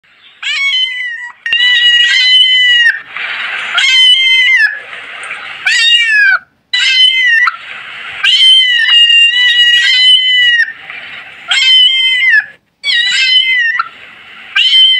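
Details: Kitten meowing persistently, high-pitched harmonic meows repeated roughly every second, some rising then falling, with breathy, hoarse stretches between bursts and only two brief pauses.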